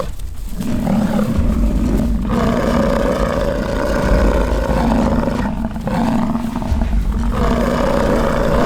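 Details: American bison during rutting season, bulls fighting on a ranch at Fort St. John, British Columbia, Canada: deep, drawn-out roaring bellows overlap almost continuously, with low rumbling beneath and brief pauses near one, two and five seconds.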